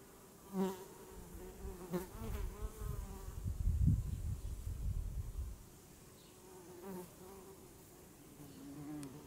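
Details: Honeybee buzzing in brief flights past the microphone, a droning hum that rises and falls, with a low rumbling of wind or handling noise in the middle.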